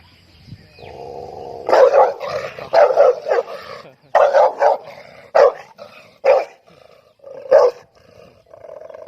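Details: A dog barks loudly, sharp harsh barks in quick pairs and singles, about eight bursts over nine seconds, with a steady hum and low background between them.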